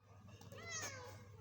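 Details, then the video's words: A kitten meowing loudly indoors gives a single short, bright meow lasting under half a second, with a clear high tone that swells and fades, heard over a steady low hum. "cute kitten meowing loudly"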